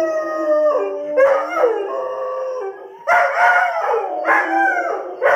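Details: Air horn audio sets off a group of Doberman Pinschers howling together: layered sliding tones mixed with harsh, broken yowling bursts that repeat in quick succession.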